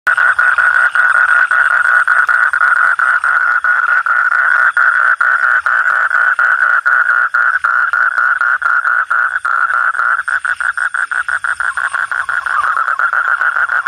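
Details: Frogs calling at night, a dense mid-pitched croaking chorus of rapid, overlapping pulses that runs on without a break, turning choppier and more clearly separated toward the end.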